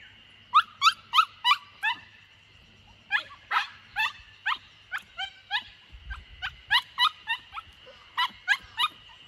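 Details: Young Samoyed Lucky, aged 64 days, escaping in the garden of his new home in Niseko, Hokkaido, Japan, 3 June 2021, his third day there. A long run of about twenty shrill, falling yelps and whimpers, fired in quick bursts with brief pauses.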